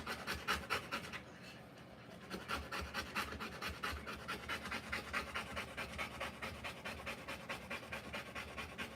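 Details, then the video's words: Rottweiler bitch panting while giving birth to puppies; fast, steady breathy pants, about two per second, soft and noisy without voiced tone, some brief pauses. "Rottweiler Puppies Live Birth."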